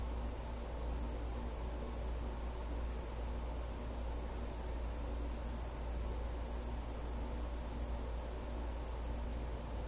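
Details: Night-time cricket at a house, its shrill continuous trill running evenly without pause above a constant deep background drone.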